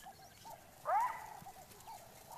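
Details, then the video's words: A jackal on Dead Tree Island gives a single sharp rising bark, an alarm call that alerts the leopard Mosweo; soft, short chattering notes repeat steadily in the background. "The jackal's barks are echoed by vervet monkeys, chattering in the distance."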